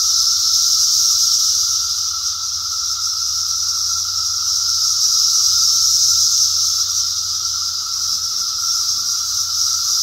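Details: Cicadas in 2021 sing in a steady, high, hissing buzz that holds without pause.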